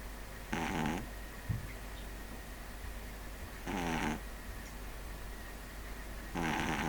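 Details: A sleeping pug snoring: three rasping, throaty breaths with a buzzy ribbed texture, each about half a second long, repeating roughly every three seconds, with quiet pauses between them.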